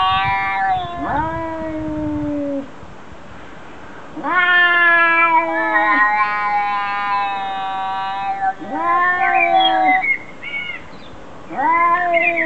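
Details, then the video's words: Cats arguing and talking to each other: long, drawn-out, strongly harmonic meows and yowls, some wavering and bending downward, come in several bursts of one to three seconds separated by brief quieter gaps. "Funny Cats Arguing | Cats Talking To Each Other Compilation"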